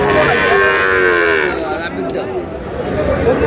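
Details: A Sahiwal bull calf sold to a Dhaka farmer on 19 May bellows a long, steady, layered moo for about a second and a half. Crowd noise follows, and voices run beneath it.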